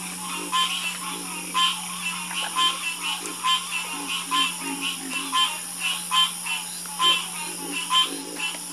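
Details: Frogs in a harmonious croaking chorus: rough, throaty croaks repeat in quick, uneven bursts, overlapping from several callers, over a steady low hum and a constant high insect-like drone.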